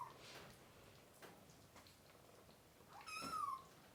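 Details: Hungry kitten crying indoors during deworming of a mother cat and her three kittens. Quiet rustling, then one clear mew that starts high and slides downward near the end.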